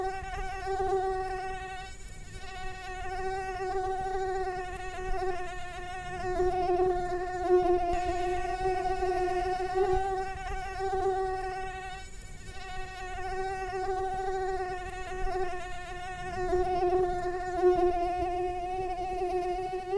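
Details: Mosquito flight drone, a constant high-pitched whine full of harmonics, wavering gently in pitch and volume as the insect moves, unbroken for the whole stretch.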